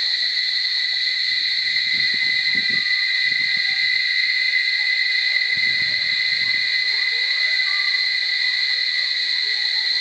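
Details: Steady, shrill cicada drone in Barichara, two layered buzzing tones without a break. Short bursts of low rustling or thudding noise occur around the second and sixth seconds, with faint bird-like chirps underneath.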